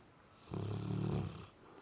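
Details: Labrador Retriever asleep and having nightmares gives one low, rumbling snore lasting under a second, steady and harsh, in a quiet indoor room.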